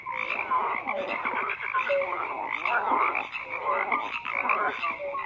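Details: Frogs croaking together in a thick, unbroken chorus, layered rasping calls with brief clear piping notes scattered through, loudness swelling slightly near the middle.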